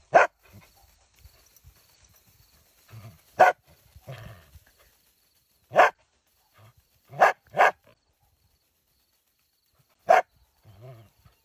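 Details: Dachshund puppies barking in short, sharp bursts, about six separate barks spaced irregularly over eleven seconds, two of them in quick succession, with quiet pauses and faint rustling between.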